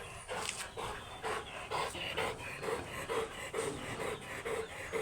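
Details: Oversized Golden Retriever at a stud service in Laoac, Pangasinan, panting steadily in quick, regular breaths of roughly two per second, each a soft breathy huff, with faint background hiss.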